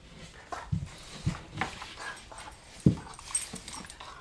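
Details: Two German Shorthaired Pointers, small spunky Badger and larger Piper, his mother, play-fighting in a living room; short low growling bursts spaced irregularly, with a sharper louder burst near the end, amid scuffling and panting.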